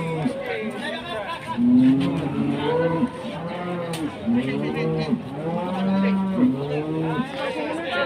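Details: Enraged cattle that broke loose and chased residents, sending people tumbling: repeated deep, drawn-out moos with strong harmonics, some rising then falling, with voices and chatter in the background.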